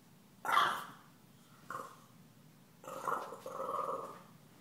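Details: Stella, a puppy being taunted by Gomez, a deaf cat, gives a sharp bark, then a short growl and a drawn-out growling bark near the end.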